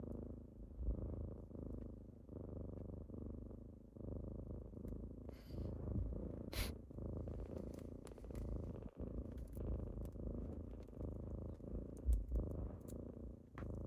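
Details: Kittens purring close up indoors on a typical morning as they wake their owner: a steady low rumbling purr with soft pulsing breaths, a few brief clicks and rustles over it.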